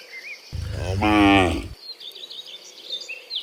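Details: Dozens of cows walking home from the fields to the pen in the afternoon; one long, loud harmonic moo lasting about a second, rising then falling, with faint birdsong chirps in the background.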